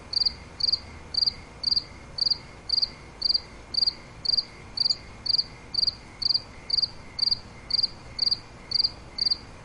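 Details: Nighttime cricket chirping, steady pulsed chirps roughly twice per second, each a brief bright trill, evenly spaced over a quiet low background.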